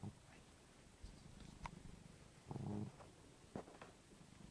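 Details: A cat snoring right beside someone trying to get to sleep: a quiet, low rumbling breath runs steadily, one louder throaty snore swells for a moment midway, and a few faint clicks and rustles break through.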